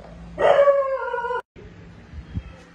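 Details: Cat meowing at feeding time among stray cats and kittens cared for at home: one drawn-out harmonic meow lasting about a second, starting bright then gently falling in pitch and ending abruptly, followed by quiet background noise.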